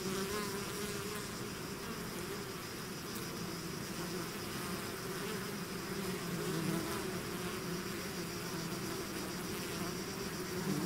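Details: Bees swarming out of their hive fill the air with an unbroken, thick hum, layered wingbeat tones wavering slightly in pitch, level and even from start to end with no other sounds.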